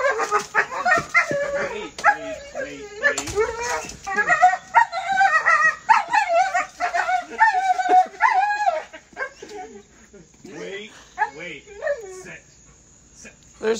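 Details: Overexcited pup with the zoomies tugs its rollerbladed person along, producing a rapid, dense stream of wavering yips and whines for about nine seconds, then sparser cries, mixed with spoken commands.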